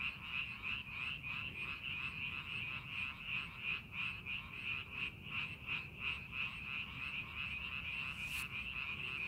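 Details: Rice-paddy frogs, field being readied for farming, call in a dense pulsing chorus of rapid croaks near three per second; a brief sharp click near the end, low background hum throughout.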